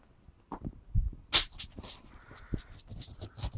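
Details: A male English Springer Spaniel puppy, 7 weeks 4 days old, on his first night at a new home gives thin, high whimpers and short broken cries amid soft bumps.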